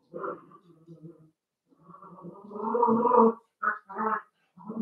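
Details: Playing Cavalier King Charles Spaniel puppies raised indoors in a home pen give rough, harmonic play growls in bursts, swelling into a longer grumbling growl midway, then short choppy growls.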